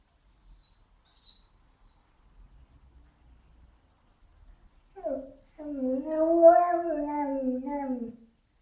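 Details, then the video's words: Border Collie mix dog, frustrated, lets out a short rising yelp and then a wavering howl lasting over two seconds that climbs slightly and trails downward, after a faint high squeak early on. The room is otherwise quiet. "Border Collie Mix Dog frustated"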